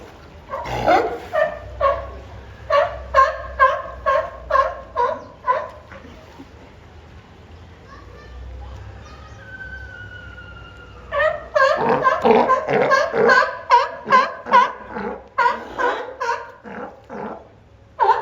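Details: Two captive California sea lions at the main garden of Higashiyama Zoo and Botanical Gardens, 10 April 2024, calling back and forth as if in a vocal battle: bursts of harsh, harmonic barks about twice a second, a quieter pause midway, then renewed barking.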